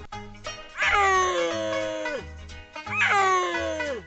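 A baby crocodile gives drawn-out, harmonic calls that slide downward, over a steady musical beat.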